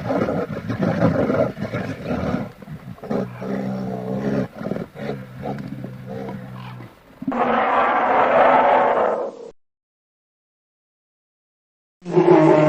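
A polar bear gives deep, rumbling roars and throaty growls, broken by a brief silence.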